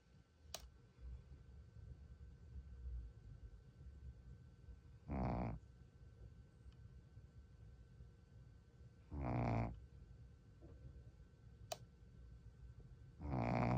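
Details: A Shih Tzu dog sleeping indoors, seemingly tired. Short, raspy, harmonic snorts come roughly every four seconds against a low room hum, with faint clicks in between.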